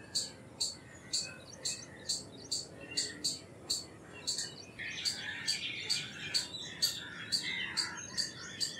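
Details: Indian palm squirrel giving a rapid run of short, shrill chip notes about two per second, while other birds' twittering and whistles grow busier in the second half.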